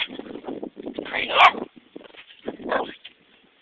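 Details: Pepper, a pet dog confronting a stick it treats as a threat, lets out one sharp, loud bark midway, then a softer yelp, while a person keeps talking to it.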